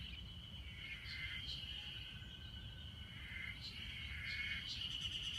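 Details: Ezo harusemi cicada chorus at Hanazono Park in Otaru, Hokkaido, during May heat of 30–32 °C, taken with an iPhone: continuous shrill droning tone overlaid by quick repeated chirping pulses, several insects at once, faint background rumble.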